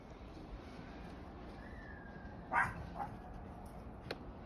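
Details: A two-year-old Chihuahua at play in the snow lets out one sharp yapping bark, followed by a softer second yip, against a low continuous hiss.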